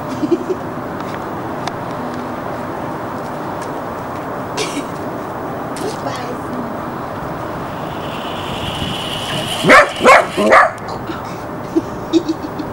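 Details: Border Collie puppy Jessy, recorded January 1994 in Barsbüttel near Hamburg, gives a quick burst of three or four sharp, high barks late in the recording after a long stretch of low background rumble, with a person speaking German nearby.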